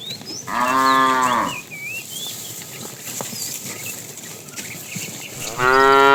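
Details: Tame herd cattle being herded in the afternoon, a fat cow said to be calling the female: a loud moo of about a second, then birdsong and chirps, and a second moo beginning at the end.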